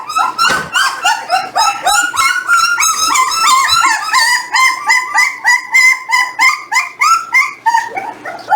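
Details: Eighteen-day-old Jindo pups at weighing time: insistent high yelping whimpers, each bending down in pitch, repeated about three times a second for over eight seconds, several voices overlapping.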